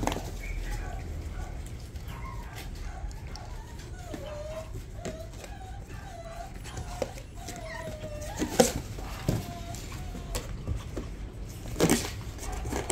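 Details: A lively Bichon Frise puppy at a breeder gives a run of short, high whimpering whines, each gently rising then falling, bunched over several seconds, with soft thumps, handling noises and faint human voices around it.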